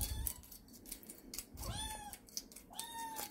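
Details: Rescued kitten Sarang meowing indoors in the morning while her breakfast is mixed, two days after moving to Seoul: two high, arched meows rising then falling, about a second apart, with spoon-and-bowl clinks around them.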